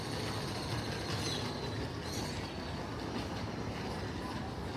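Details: A steady rumble of train wheels and rail noise, with no animal sounds.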